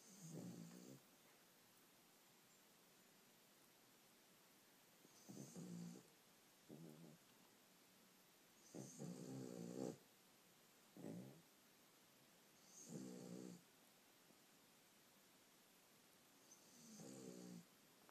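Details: Sleeping dogs snoring loudly indoors: low, rough harmonic snores that swell and fade, a burst every two to four seconds, about seven snores in all, with a faint hiss between breaths.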